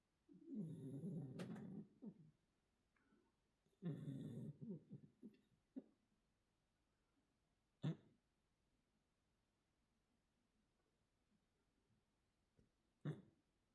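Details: Domestic cat, a mackerel tabby Korean shorthair, asleep indoors and snoring: two low, rough, drawn-out breaths of about one and a half seconds each, roughly three seconds apart, then quiet with a few sharp clicks and a soft murmured voice.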